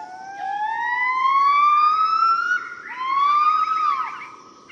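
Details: Yellow-cheeked gibbon family group giving morning song in Cat Tien National Park, Vietnam, 15 March 2013: long pure whistled notes sliding slowly upward, a second rising note following after a brief break, loud and clear.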